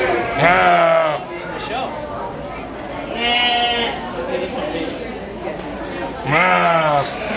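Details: A sheep at the 2011 Washington County fair in New York gives three long, wavering bleats spaced a few seconds apart, calling for its mother.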